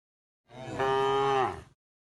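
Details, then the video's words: A tame cow mooing while being driven toward the pen: a single rich, steady moo lasting just over a second, swelling in quickly and dipping in pitch as it ends. "the sound of cows mooing"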